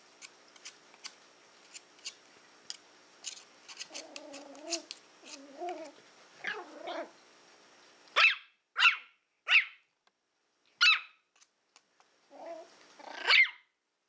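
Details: During play time with a pig's ear, a young female Toy Fox Terrier named Willow first makes clicking and chewing noises, then short rumbling growls, then a burst of four sharp barks, and a final growl leading into a bark.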